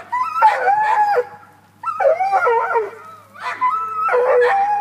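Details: Tucker, a Black and Tan Coonhound that climbed a tree after a cat, lets out long, quavering howl-like bays, three loud bursts of about a second each separated by brief pauses.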